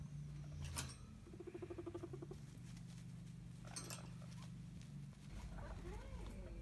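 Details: Female hairless guinea pigs rumble strutting to show dominance, telling a cagemate to back off; short high squeaky notes open, then a low vibrating pulsed rumble holds for about two seconds amid light shuffling and clicks.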